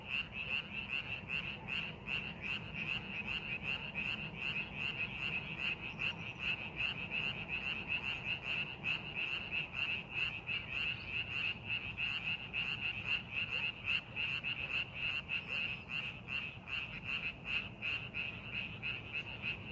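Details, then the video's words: A continuous frog chorus in rice paddies being prepared for farming: rapid, somewhat uneven croaking pulses packed closely together, about 158 per minute, above a persistent high trill and low ambient rumble. "농사준비하는 논에서 개구리 울음소리"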